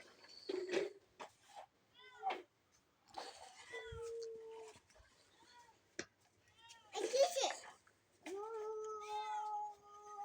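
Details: Domestic cat indoors while someone tries to catch it: several short arching meows, then a long, steady, drawn-out meow near the end, with excited speech in between.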